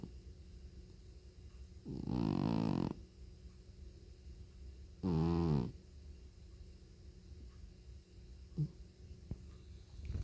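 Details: Sleeping feral cat, one of three strays living at a house in northwestern Oregon, snoring very loudly; two long rasping, buzzy snores about three seconds apart, each lasting roughly a second, then a brief snort, with quiet background between.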